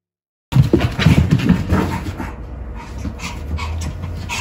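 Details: Pomeranian dog at home during a self-trim and ball-play session, panting in quick, rough bursts that are loudest early on and then settle into steadier, softer breathing.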